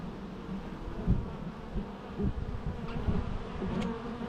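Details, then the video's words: Quiet, low bee hum that wavers and swells unevenly, with a few brief louder passes and faint background rustle. "natural bee sounds"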